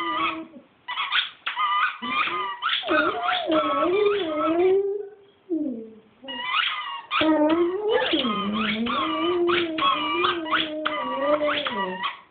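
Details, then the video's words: Dog named Chooch singing in a small room: sustained, wavering howls with rich harmonics, rising and falling in pitch, broken by a couple of short breaks and yelps, then a long continuous wail. "Chooch singing"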